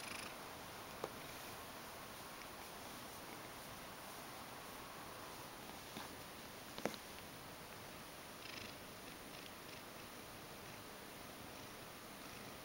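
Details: Indoor pet Ragdoll cat seeking to be stroked, purring steadily and quietly; an unbroken soft rumble runs the whole time, with a few faint clicks or rustles near the start and middle.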